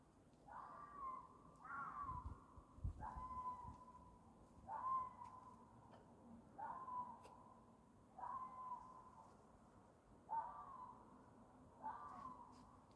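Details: Fox giving a mating call: a series of faint, clear calls, each rising quickly and then holding a steady tone for about a second. They repeat roughly every one and a half seconds over a low background hum.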